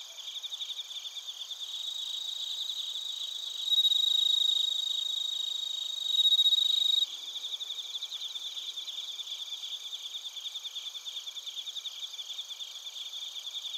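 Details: Bell crickets and field crickets calling in Narita, Chiba Prefecture, Japan, TASCAM Portacapture X8 recording; a loud pure ringing tone rises out of the dense pulsing high chorus twice, each lasting a few seconds, then fast rhythmic chirping continues.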